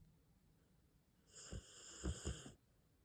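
A Rottweiler snores in its sleep, giving one long, rasping, low rumble broken by several deep throaty pulses. The snore is loud against a quiet indoor background.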